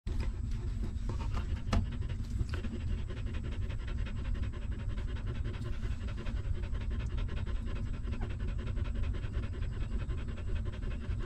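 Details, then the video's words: Hungry newborn puppy of a stray mother dog suckling milk while she nurses her litter; steady rapid wet sucking pulses, about five per second, over a deep low rumble, with a few sharper clicks early on. "Watch This Hungry Puppy Suck Milk"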